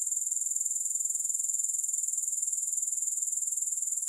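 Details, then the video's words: Unbroken, piercing grasshopper trill, high and thin, beating in quick even pulses about four per second throughout, with no music or other sounds. "Grass Hopper Sounds"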